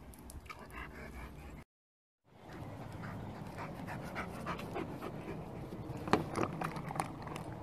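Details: An Irish Wolfhound, a large pet dog of the breed described as the tallest in the world, pants in quick, rough breaths about three to four times a second, broken by a brief silent gap.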